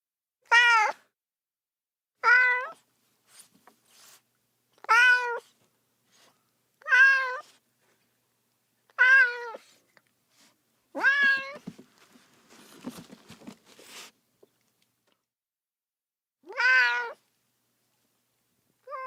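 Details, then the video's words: Baby cat crying for its mother, repeating short rising-falling meows roughly every two seconds, with a brief patch of soft rustling partway through before the calling resumes. "외롭고 슬픈 아기 고양이 울음소리, 엄마 어딨어~(Sad baby cat sound)"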